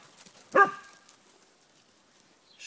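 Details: Corgis on the Volga: a single short bark with clear stacked harmonics, then near silence with faint background noise and a brief noise at the end.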